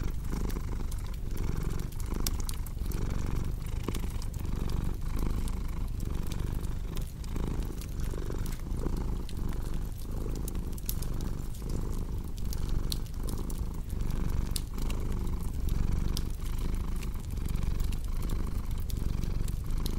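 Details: Domestic cat purring steadily beside a crackling fireplace, a relaxing mix for sleep: deep continuous rumble swelling and easing in breathing cycles about every second and a half, with sharp dry pops and crackles of burning wood scattered throughout.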